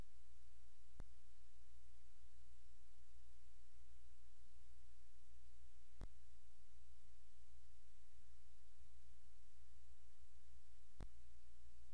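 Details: A low steady hum fills a quiet room, broken by three sharp clicks at about one, six and eleven seconds.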